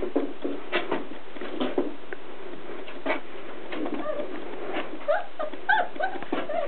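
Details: Six-week-old Portuguese Water Dog puppies from one litter, born January 2nd 2011, play-fighting indoors; scattered short yips, squeaks and low growly grunts over a busy patter of paws, with a person commenting.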